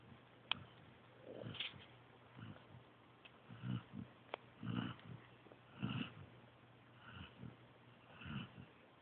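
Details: Sleeping pointer pup Joby snores in steady cycles, each low, throaty rumble lasting about half a second and returning roughly every second, some breaths carrying a light wheezy edge; a single sharp click sounds near the start.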